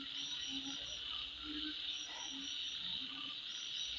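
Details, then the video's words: Constant shrill insect buzzing at midnight, with faint higher chirps and a few soft low croaks in the background. "Sound Of Insect At Midnight"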